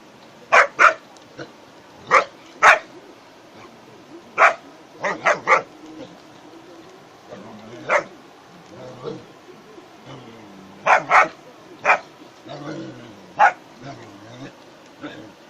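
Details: German Shepherd dog playing with friends, including a goat: sharp barks, some single and some in quick pairs or triplets, scattered at irregular intervals, with people talking in the background.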